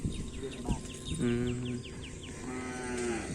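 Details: Cattle at a kerapan sapi bull race on a field at Asemanis: two drawn-out, level moos, the second fainter, over a rumbling outdoor din, with a row of quick high descending chirps early on.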